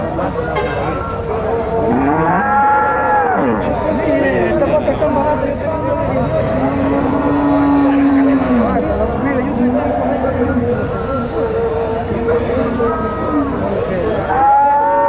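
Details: Gyr cows at a cattle market (Tiangue) in rural El Salvador, several animals lowing over one another: a wavering moo near two seconds, a deep steady moo around seven to eight seconds, and a rising bawl at the end, amid constant crowd noise.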